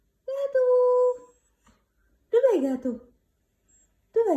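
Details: White husky named Whisky "talking": a held, steady whining tone, then after a pause a louder yowl that bends and falls in pitch, and a third vocal burst beginning at the close, in a quiet indoor room.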